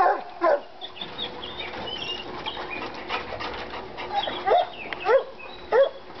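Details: Treeing Walker Coonhounds Lady and Cooper in North Carolina, worked up on a coon skin; Cooper still recovering from being hit by a car. Short bawling barks with a rising-then-falling pitch, one early, then three in quick succession near the end, over steady background noise.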